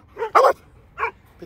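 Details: Dog, part of a German shepherd and Presa Canario family with puppies, giving a soft yip, a loud harsh bark, then a shorter bark and faint final yelp.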